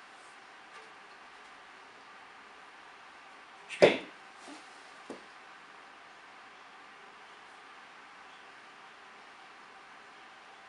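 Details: A near-silent indoor room, broken by one sharp knock near the middle and a few faint taps after it.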